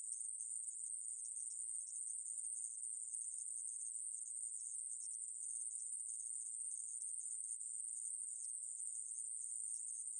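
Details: Conehead katydid (애매부리), recorded in 2020: an unbroken, very high, shimmering buzz that stays at a constant pitch and loudness throughout, with no pauses and no other sounds present.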